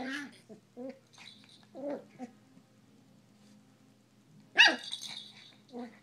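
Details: Miniature schnauzer puppy, eight weeks old, at play with pink cat toys: soft low growly sounds through a mostly quiet stretch, then one loud sharp bark near the end, with faint human speech.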